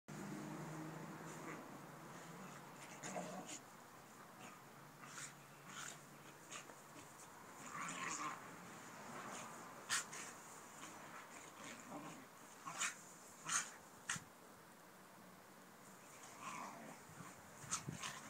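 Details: Two dogs at play, Tug, a 3-year-old American Mastiff, and Bob, a Mini Australian Shepherd: low rumbling growls early on, then scattered scuffling thumps, snorts and short breathy bursts, with faint speech in the background.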